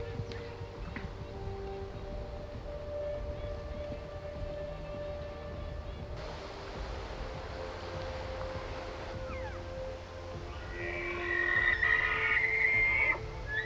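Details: A rutting bull elk bugles in a hidden basin in the Montana mountains on a September morning, a high, thin, rising whistle over a man's voice, with other bulls calling through the timber.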